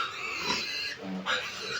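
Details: Sow with 25-day-old piglets on a backyard farm in the province; shrill, harmonic squealing bursts that come in overlapping waves, dipping briefly around the middle before resuming.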